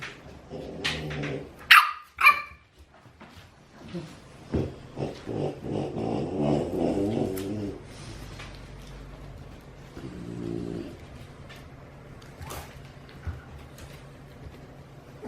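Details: French Bulldog puppies in Oyabe, Toyama Prefecture, Japan, making soft nasal whines and grunts in irregular bursts, with a couple of sharp high squeaks early on and faint clicks throughout.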